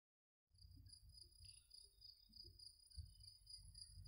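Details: Cicadas singing: a steady high buzzing trill with faint pulsing, plus a fainter band above it, set over a low rumbling background; silence for the first half second.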